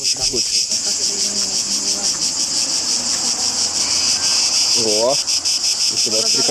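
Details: Large cicada heard outdoors near Delphi, Greece, in July 2012 during a guided tour. A shrill, steady high buzz runs throughout, finely pulsed. Voices talk over it at the start and near the end.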